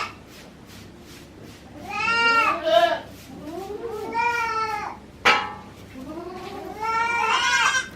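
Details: Mixed-breed goat mother under a year old, with her newborn kid on a farm in Himi, Japan, 9 March 2019. Three wavering, harmonic bleats, each about a second long, rise then fall. A sharp click is heard between the second and third.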